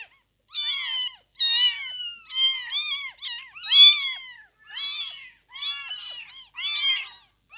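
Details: Newborn kittens in their first two weeks cry with repeated high, arching meows, roughly one every second, some overlapping, in otherwise quiet surroundings.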